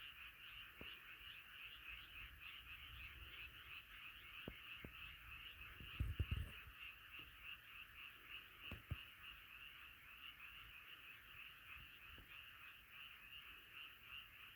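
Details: Frogs massed in a night chorus, continuous rapid croaking throughout, with low thumps and rustling handling noises around the middle.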